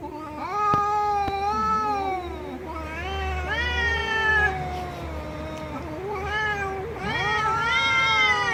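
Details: Several drawn-out cat meows, rising then bending downward, repeated at uneven intervals over a steady low hum, with a couple of sharp clicks near the start.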